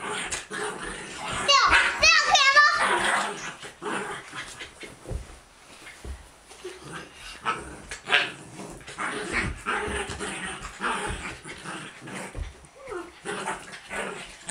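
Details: Buddha, a pet dog, playing wild indoors with visiting girls, a regular romp of about ten minutes; rough, noisy barks and growly bursts come through over high, squealing children's voices and laughter.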